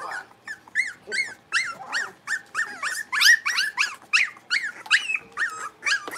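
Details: A litter of five blenheim Cavalier King Charles Spaniel puppies, born at New Year's, plays in the pen and keeps up a steady run of sharp, high, rising-and-falling yappy barks, several overlapping, close to the microphone indoors.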